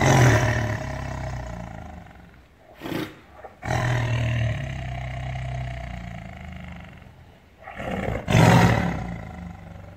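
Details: An angry caged tiger in captivity roars in long, deep, throaty rumbles with a rich low growling tone, with two sharper, breathy blasts breaking through between the sustained roars, rising and fading quickly.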